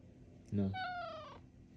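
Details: Indoor male cat talking to its owner: a single loud meow opening with a low throaty onset and then stretching into a long, gently falling tone.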